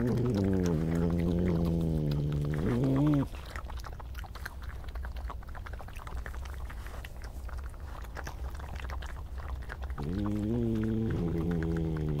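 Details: European badger heard in the evening during scuffles and disagreements between badgers; a low, harmonic whining growl in the first three seconds, then quieter grumbling noise, and the growling whine returns near the end.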